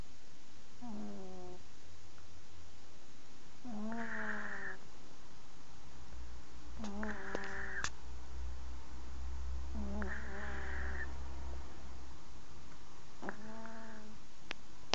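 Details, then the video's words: Sleeping cat snoring; steady low rumbling breaths throughout, with five short tonal squeaky notes recurring about every three seconds over a constant background hiss. "cat snoring like darth vader"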